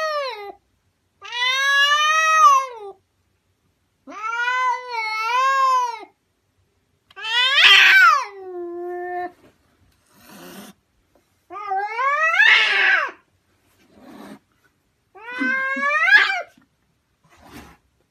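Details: House cat repeatedly meowing in a quiet room, six long, loud, drawn-out calls spaced about two to three seconds apart, some arching smoothly in pitch, others harsher and more strained, with short soft chirps between them.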